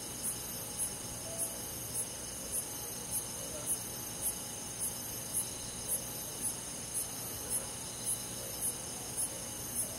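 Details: Crickets among forest insects on a summer night in the countryside; about seventeen crisp, very high chirps repeat in a regular rhythm near 0.6 seconds apart, above an unbroken shrill insect drone.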